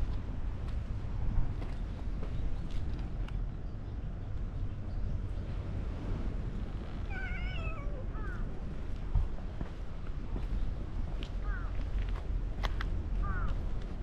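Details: Orange-and-white cat that suddenly turns meek after a senior cat catches him being rough with a person; one drawn-out, downward-sliding meow, then two brief, higher mews later, over a steady low rumble of outdoor noise.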